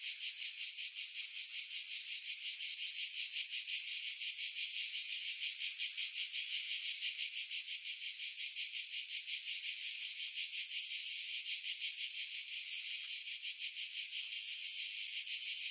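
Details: Continuous cicada song recorded in July 2018 among pine trees at Pefkos Bay, Skiros, Greece, using a Sony RX3 and external microphone; an intense high buzz pulsing steadily near three times per second throughout, low frequencies stripped to remove wind buffeting.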